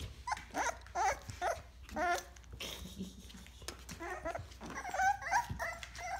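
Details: American Bully puppies in Chesapeake, Virginia, whining and yelping indoors: several high, wavering cries in bursts, one around each second early on, then a denser cluster of overlapping whines toward the end, with shuffling noises between.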